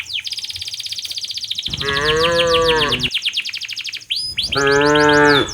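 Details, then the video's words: Tame cows herded by a herder toward their pen on a village farm in the late afternoon: two drawn-out, deep harmonic moos, the second starting after a short gap, over constant rapid, high chirping from small birds. "suara sapi lembu berjalan menuju ke arah kandangnya"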